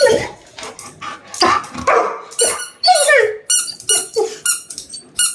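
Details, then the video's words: Male Labrador Retriever reacting angrily at not being given his toy: a run of high, squeaky whines and short yelps with rising and falling pitch, coming in quick bursts of about half a second, with a few rougher vocal sounds early on. "Labrador dog SAM angry reaction for not giving his toy"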